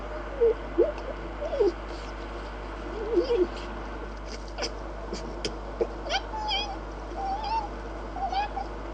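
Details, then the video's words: Red fox giving a few short, wavering whines and squeaks spread over several seconds, with a couple of higher, flatter whining notes near the end against a quiet hum. "What noises does a fox make?"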